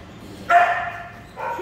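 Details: Ten-week-old Giant Schnauzer puppies; a single sharp, high yelp that holds briefly and fades, followed by a shorter, softer yelp at the end.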